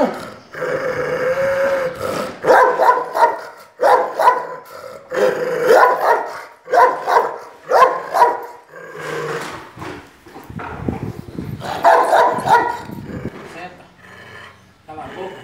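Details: Dogs in Brazil during a confrontation between Jeová, Barão and Larika. Harsh, growly barks come in irregular bursts, several a second at times, with brief pauses between volleys and a gruff rumbling undertone.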